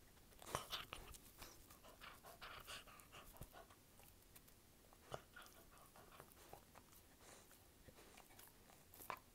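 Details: Dog chewing in ASMR style: bursts of crisp crunching and biting, heavier clusters early on, then sparser snaps and soft gnawing, set in a small indoor room.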